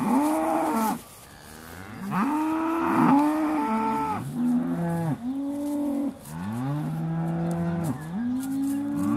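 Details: Aussie Red dairy cows at Beaulands, December 2012, lowing just before milking: several overlapping harmonic moos, each about a second long, coming one after another almost continuously, some with rising or falling pitch.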